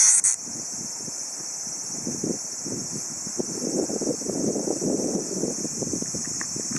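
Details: Insect buzz from a Tsukutsuku-boshi cicada, captured by hand on an August 2013 late afternoon: a continuous shrill, high drone that briefly cuts and narrows at the start, over louder rustling, handling noise and low voices.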